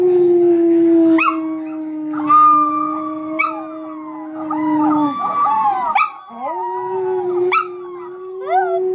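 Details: Puppy talking at a computer: a long, steady mid-pitched howl holds for several seconds, then dips and resumes, overlaid by higher wavering, sliding whines and yips that rise and fall.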